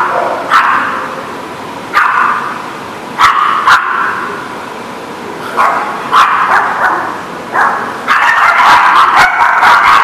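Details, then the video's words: On September 21, 2019, sharp single dog barks ring out every second or two with quiet gaps and a few clicks between them, then many dogs break into a continuous, overlapping barking chorus near the end. "The Barking Lot"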